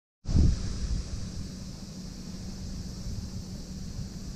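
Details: Outdoors, wind buffets the microphone with a loud rumble at the start, then settles into steady low roaring, with no animal voice audible.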